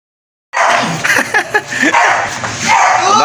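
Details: A young American Bully, said to be three months old and up for rehoming, gives a rapid burst of short, high yipping barks and whiny yelps after a moment of silence.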